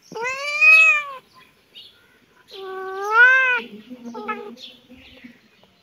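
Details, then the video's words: During play between a kitten and a cat in the yard, two loud arched meows, rising and falling, about two seconds apart, followed by a quieter wavering trill. "cat and kitten playing in the yard"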